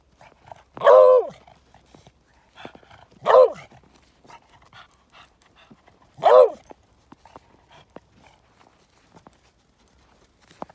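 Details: A female Beagle wanting a treat on the Airport Trail in Juneau, Alaska, bays: three loud, drawn-out bark-howls sliding downward in pitch, spaced a few seconds apart.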